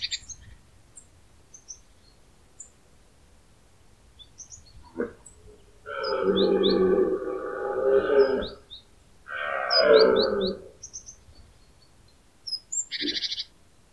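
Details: Pyrenean red deer stag roaring in the autumn rut among answering stags: two powerful, throaty bellows of roughly two and a half and one and a half seconds, with short grunts before and scattered bird twitters around.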